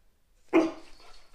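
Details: A dog, told to "speak", barks on command: one sharp, mid-pitched bark that fades quickly, then a second bark starts as the sound ends, in a quiet room.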